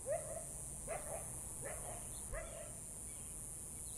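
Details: Young female coyote at a desert pond in the Catalina Foothills at sunset, reacting to a rival pack; four short rising yelping calls roughly every 0.75 seconds, then quiet, over a steady high insect-like hiss.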